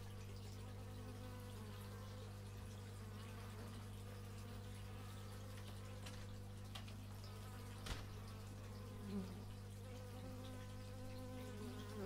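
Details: Steady humming of many bees captured on an x/y stereo microphone, low continuous drone with shifting higher tones from passing insects and a sharp click near the eighth second.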